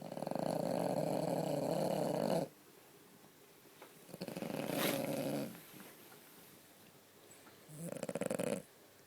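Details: French Bulldog asleep and sedated-looking after a broken toenail was removed, lying in a bag bed at home: loud rasping snores in long rattling breaths, the first lasting over two seconds, with quieter breathing between.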